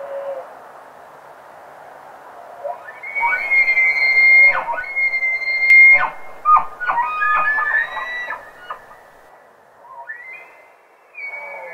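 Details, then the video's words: Rutting bull elk bugling in Rocky Mountain National Park: a long, steady, high whistle held for about three seconds with a bright overtone above, then broken rising and falling squeals and short grunts, ending with a brief upward whistle. "ELK BUGLING IN ROCKY MOUNTAIN NATIONAL PARK"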